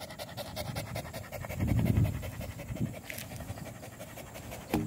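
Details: A village dog (anjing kampung) panting on a walk, 18 April 2021: quick, rhythmic, breathy huffs at about four per second, low in pitch, with faint human voices nearby.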